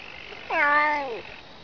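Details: Domestic cat giving a meow said to sound like "ne znayu" (I don't know). One drawn-out, harmonic-rich meow lasting under a second. It starts abruptly, dips, holds level, then slides down at the end against a quiet background.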